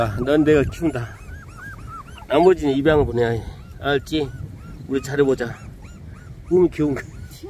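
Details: Puppies 24 days old, in a litter being raised at home, give bursts of high, arching squeaks and whines in quick clusters, with lower, stronger yelps between pauses.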